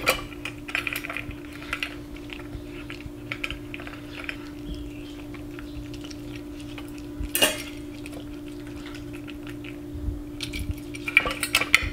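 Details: Light clinks and taps like cutlery and dishes in a small room, over a steady tonal hum, with no animal voice.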